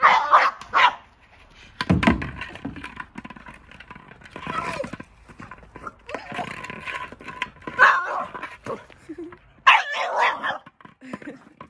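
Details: A Boston Terrier freaks out over a Jolly Egg toy, giving excited bursts of barking and yipping with pauses between the outbursts.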